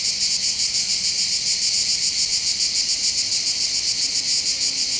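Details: Mediterranean cicadas near Bandol on the Var coast of France, heard from the hills above the port: a steady shrill buzzing chorus with a quick throbbing pulse, very high and uniform, without other voices.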